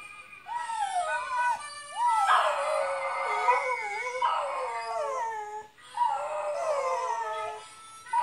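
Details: Pet dog howling along with a recording of himself howling to a mouth organ indoors; long wavering tonal howls with rising and falling pitch, layered over the harmonica-backed playback, sustained nearly throughout.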